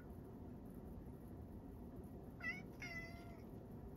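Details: On the morning of Setsubun 2022, Sacchan, a male rescue cat at Kazeno Kobo, utters a quick chirp followed at once by a longer, level meow, heard over a quiet low hum.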